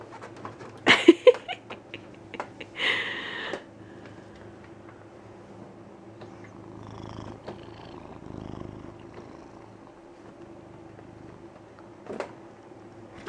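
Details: A fat male Siamese cat demands to be stroked, giving short, loud, raspy calls over a steady low purr.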